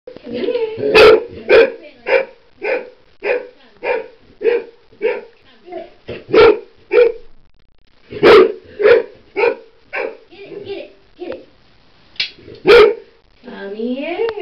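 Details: Golden retriever puppy barking at a curling iron it is scared of, sharp loud barks repeated in a steady run of nearly two per second, with brief pauses and a faint whine near the end.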